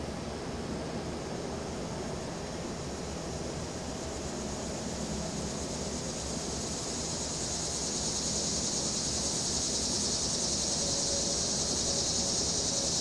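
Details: Cicadas make a steady, high buzzing drone that swells louder toward the end, over traffic, breeze and a rattling deck umbrella; windy afternoon, recorded September 14, 2023.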